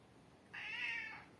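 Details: Hungry cat giving a single clear meow while waiting to be fed, about two-thirds of a second long, steady then falling slightly at the end, with a person talking to her before and after.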